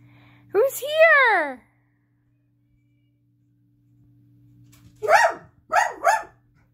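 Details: Pet dog indoors barking at its owner, wanting out of the room when a family member came home from work; a drawn-out rising-then-falling vocal sound, silence, then three short, sharp barks in quick succession.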